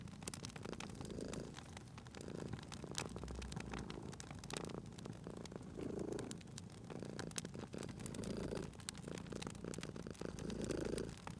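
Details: Softer purring of a cat beside a crackling fireplace, gentle rumbling swells coming about once a second or two, partly masked by dense snapping and hissing of the burning fire.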